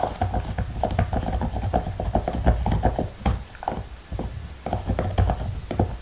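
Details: Black Labrador chewing its favorite beef bone with no talking: steady crunching and gnawing, dense irregular clicks and low thuds, several per second throughout.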